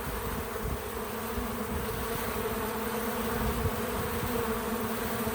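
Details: Several bees at a feeder fill the air with an even, unbroken wing hum carrying faint pulsing flutters, recorded as natural sound with no music.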